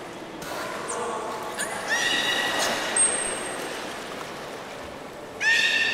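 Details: Captive belugas at Port of Nagoya Public Aquarium on 11 August 2018, during a pool transfer attempt to swap Nana and Hodoi. Short squealing harmonic calls rise and fall over steady background hiss, with a brief high chirp near the end.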